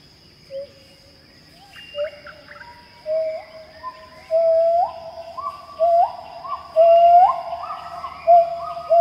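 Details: Pileated gibbons, also called Crowned or Capped Gibbons, singing in Khao Yai National Park, Thailand: a series of low-high notes, each a short note sliding upward, repeated about once a second and growing louder, over a steady high insect whine.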